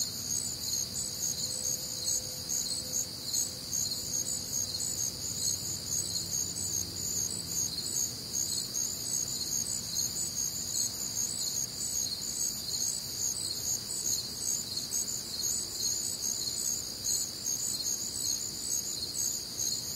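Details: Warm, humid Midwestern summer night with crickets and other nocturnal sounds; high, ringing chirps pulse rapidly in several overlapping bands without pause, a faint low drone briefly underneath.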